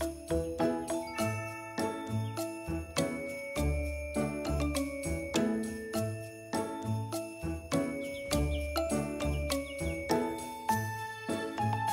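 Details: Bright jingle-bell music plays with steady tinkling chimes and a repeating rhythm, with no animal sound.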